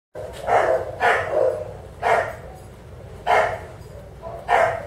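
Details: Bulldog at a southern California veterinary practice, barking while undergoing a skin scrape for demodex mites: hoarse, gruff barks given singly about once a second, some drawn out into a short groan, in a quiet room.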